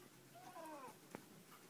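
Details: Gigolo, an eight-week-old black Siamese kitten, talking at home alongside his new dog brother Loko: one short harmonic meow of about half a second, rising then falling, over soft room hiss, followed by a sharp click, with a person saying goodbye.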